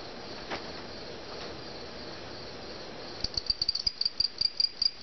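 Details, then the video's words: Cricket caught indoors at a family home, starting to chirp partway through: a run of short, high, evenly spaced chirps about two or three per second after a quiet stretch of room noise. "catch a cricket"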